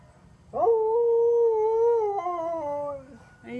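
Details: Sonny, a Siberian Husky, howls along as an ice cream truck plays its tune on its rounds through the neighbourhood; a single steady mid-pitched howl lasts about two and a half seconds, then drops lower and fades.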